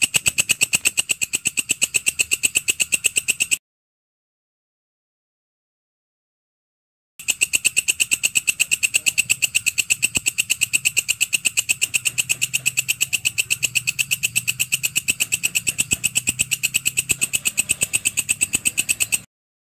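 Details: Grasshopper known as walang kecek or belalang kerik, offered as a master sound for all birds: long runs of dense, sharp, metallic clicks in a fast steady rhythm, broken by a few seconds of silence, with low hum underneath.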